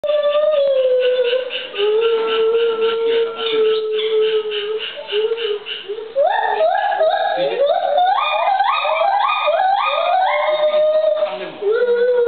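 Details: White-handed gibbons at Ishikawa Zoo, a mated pair, male Luke and female Sakura, giving their great call with their older son joining and a baby male imitating; a long sustained hoot, then rapidly rising, stepped whoops accelerating into a climax, then hoots again.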